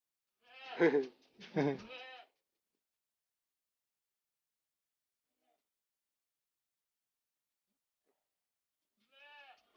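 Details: A Jamnapari goat kid with long ears and red colouring, at a village goat farm, gives two short, sharp bleats in quick succession, then a long silence before a third bleat begins.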